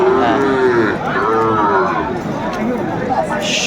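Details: Sahiwal bull calves at the Aftabganj cattle market in Bangladesh on Tuesday, 13 August 2024. A cow gives a drawn-out, tonal moo that dips and rises twice, then fades. A crowd chatters and people talk throughout.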